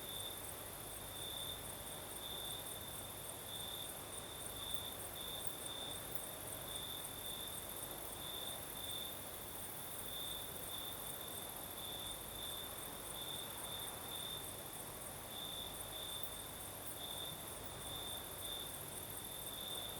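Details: Crickets singing at night in the south of Crimea with a night breeze: a steady high trilling band runs throughout, brighter pulses recurring every second or so, over soft broadband wind hiss.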